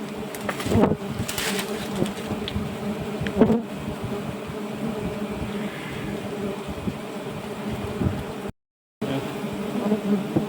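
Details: Giant honey bees at a wild nest being harvested, a dense, steady low hum with layered tones holding throughout, broken by a few sharp clicks and knocks and brief faint voices, with a short gap near the end.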